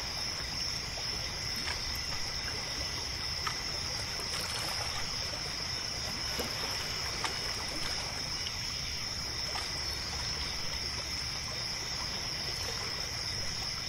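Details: Night crickets beside a lake with a pier, their continuous shrill trill running without pause through the whole stretch, layered over trickling water and faint soft knocks.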